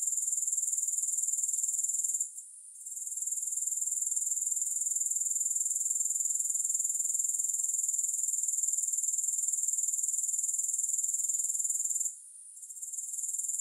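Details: Shrill, unbroken grasshopper stridulation, a fast even pulse near four beats per second, briefly interrupted twice by short gaps around two and twelve seconds, with no music.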